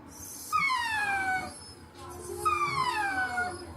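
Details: Pet dog vocalizing with its head tilted while pushing its nose against the recorder: two drawn-out, descending whining notes, each about a second long and starting about two seconds apart, over faint room noise.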